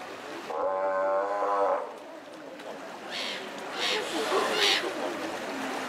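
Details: A single Steller sea lion gives a deep, evenly harmonic bellow lasting just over a second, followed by quieter rasping calls and huffs from other sea lions against a steady background murmur.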